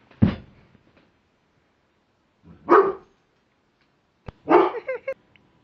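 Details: Husky or giant Alaskan Malamute, a female about one year old, uneasy and scared of a mirror indoors: three short, rough barks spaced over about five seconds, the last breaking into a yelping, wavering tail, with a man speaking softly between.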